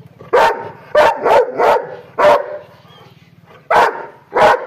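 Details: An angry dog gives harsh, forceful barks in short bursts, some doubled or tripled, separated by a pause of over a second, over a faint low hum.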